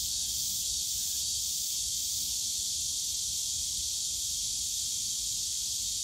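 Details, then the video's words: Cicadas on a summer day in the bamboo grove of Yongsan Family Park, Seoul: a dense, steady high-pitched buzz fills the air without pause, with faint low park rumble beneath. "용산가족공원 대나무숲 매미소리"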